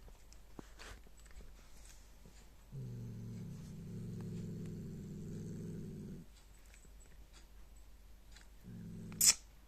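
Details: Domestic cat eating and growling: a quiet start with scattered clicks, then a low, rough, harmonic growl held about three and a half seconds, a pause, and a short second growl ending in a sharp loud click.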